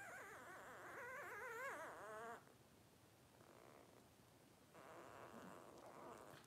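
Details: Blenheim Cavalier King Charles Spaniel puppies, 12 days old, from a litter of five born on New Year's 2023; high wavering whines rise and fall for about two seconds, then fade into softer, quieter sounds.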